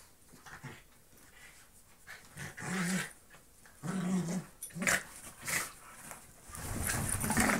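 A bull terrier gives low, rumbling growls during play, mixed with scuffling and sharp bursts of noise.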